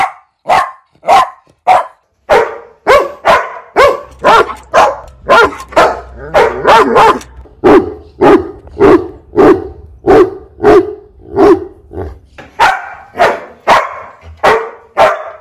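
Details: Dog barking rapidly and persistently, nearly two barks per second for fifteen seconds, with a low steady hum under the middle stretch.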